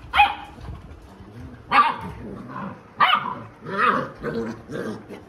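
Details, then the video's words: Alexa the Labrador, a mother scolding her puppies, lets out abrupt barks roughly every second or so, mixed with snarling growls and higher puppy yelps between them. "Aggressive dog |बदमाश बच्चों को माँ ने सिखया पाठ"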